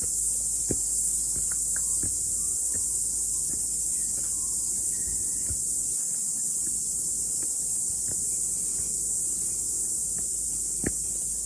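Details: Cicadas singing after the rain as a hiker climbs a mountain in the morning: an intense, even, high-pitched buzzing chorus runs throughout, with occasional crisp clicks and steps audible below.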